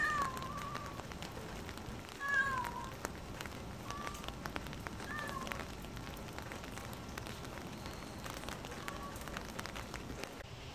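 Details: Calico stray cat out on a rainy spring day, giving a few short falling meows near the start, then fainter scattered mews, over steady patter and crackle of rain on surfaces.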